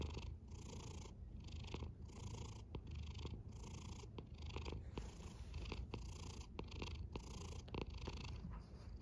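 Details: Rhythmic low rumbling from a snoring cat, its breaths rising and falling in quick, even pulses, with breathy hiss above and scattered faint clicks in an otherwise quiet background.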